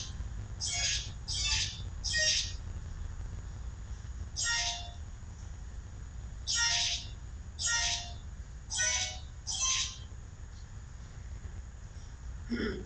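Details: Young kittens calling with their mother close by, 12 September 2012, inside: three quick high squeaky cries, a pause, one more, then a regular series of five about one second apart; a low rumble underneath.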